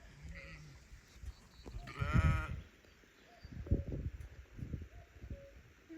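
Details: During spring lambing, a sheep in the lambing field near a ewe with newborn Herdwick lambs gives one short, wavering, nasal bleat, with a man talking softly, a loud nearby cuckoo mentioned, and low outdoor rumble.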